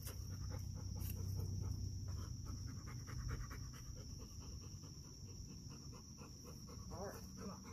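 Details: Dogs, including a pup seeking friendship with a dedicated guard dog, pant in quick breathy bursts almost three per second. A deep continuous rumble fills the low end, with a brief voice near the end.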